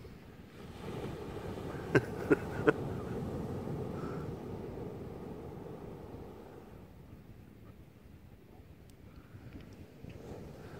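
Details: Steady wind and surf rumble on a beach, with three sharp clicks close together near the start and no animal voice.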